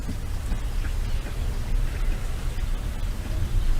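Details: Steady low rumbling noise with a patter like rain; no animal calls are heard.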